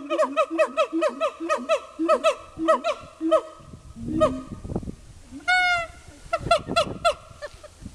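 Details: Siamangs calling in a zoo at Dubbo: loud series of rapid, hooting notes with rising and falling harmonics, repeated about three times a second, then a long upward-sweeping whoop and further bursts of barking notes.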